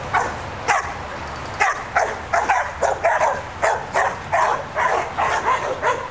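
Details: Australian Shepherd dogs giving loud, clipped barks roughly every half second, a near-continuous volley with brief gaps, over a faint low background drone.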